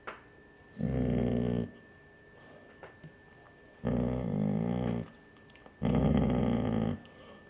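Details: A Basset Hound mother gives low, rumbling growls, repeated three times, guarding her pups from a curious older male basset, the pups' grandfather.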